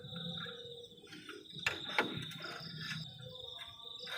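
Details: Crickets on a cold night at a forest-edge camp, a steady high buzzing trill held throughout, with sharp knocks and clatter from camp activity around the middle and a low rumbling background.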